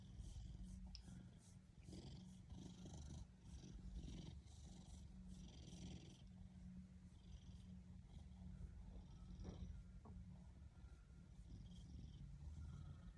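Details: Ragdoll cat purring contentedly, a continuous deep vibrating rumble in gentle in-and-out waves, with soft clicks and rustles over it.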